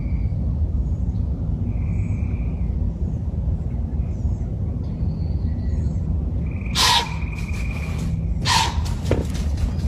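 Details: During a crossbow deer hunt, a deer that knew the hunters were there gives two sharp, breathy alarm snorts over faint bird whistles, then the deer run off to the right.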